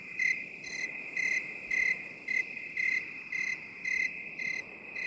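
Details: Crickets heard binaurally in 8D: about ten bright, high chirps, slightly uneven in spacing and loudness, ride on a constant piercing trill, with light background hiss.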